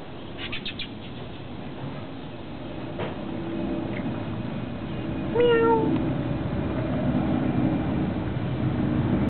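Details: A domestic kitten gives one short meow near the middle, a clear tone with a slight downward bend lasting about half a second, over a steady low background hum.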